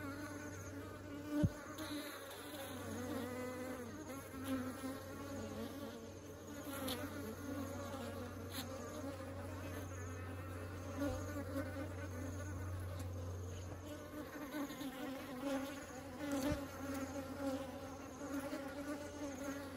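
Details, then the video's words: Honeybees ferrying honey into a beehive: sustained, shimmering buzz from many bees, loudness rising and dipping as they pass, a low hum fading out partway, and occasional sharp knocks. "Bees are taking honey into the beehive"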